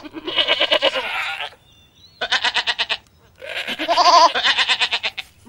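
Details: Goats, recorded 2016 0521, bleat in three long, wavering, nasal calls, each quavering rapidly through its length.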